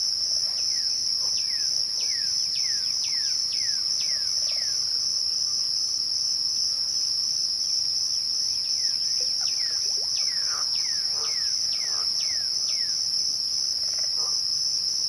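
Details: Evening crickets at twilight keep up one continuous high-pitched ring. Two bursts of quick downward-sliding whistles from another animal come at the start and again past the middle.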